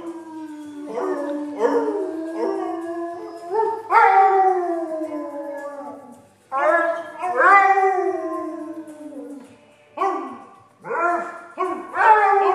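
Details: Jag, a pet dog, singing for his owners on request: a series of long wavering howls, some sliding upward and others falling, several in a row, with a person encouraging him between phrases.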